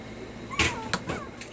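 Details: Puppies being taught to stay, one giving a thin whine that slides downward, followed by a couple of shorter squeaky whimpers, with sharp clicks and knocks nearby.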